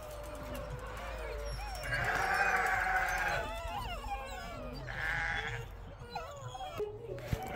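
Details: Penned sheep on a snowy homestead farm carrying on while water troughs are checked; two wavering bleats overlapping with other calls, a man speaking and music in the background.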